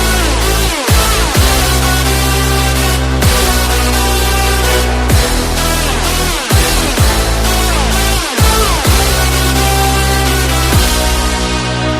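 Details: Loud electronic dance music with heavy bass and rhythmic sweeps fills the whole stretch.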